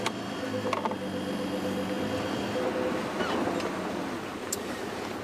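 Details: A vehicle engine hums steadily under broadband outdoor noise, with a few sharp clicks and no clear animal voice.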